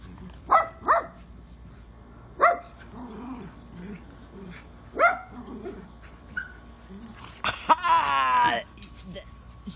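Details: Pet dogs Penny and Lucy in rough play in a garden; a short double bark, then single barks every couple of seconds, ending in a drawn-out whining, growly vocalisation, with human voices faintly heard.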